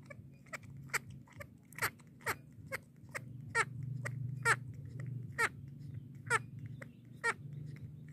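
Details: Baby monkey drinking milk, giving sharp high squeaks repeated roughly once a second over a low steady hum, each squeak a brief broadband burst with a rising sweep.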